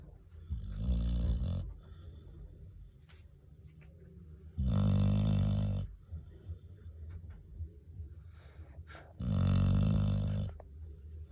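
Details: An old pet dog snores indoors, three long low rumbling snores roughly every four to five seconds, each lasting about a second and a half, with quiet breathing between them.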